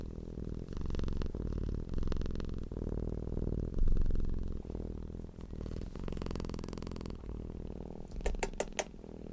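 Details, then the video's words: Domestic cat purring indoors, a deep low rumbling hum pulsing in steady breath cycles, with a brief hissy rustle midway and several sharp clicks near the end. "CAT PURRING SOUND deep humming sound of a purring cat"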